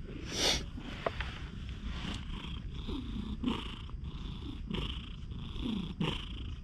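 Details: A friendly stray cat that has lost one eye, filmed on a GoPro HERO8, purring steadily in a low rumble, broken by several short, low mews that bend downward, with rustling and handling noise close by.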